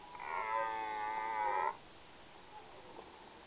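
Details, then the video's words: A red deer stag in the mating season gives a single drawn-out, rich harmonic roar lasting about a second and a half. "Il bramito del cervo - Red Deer roar (Cervus elaphus)"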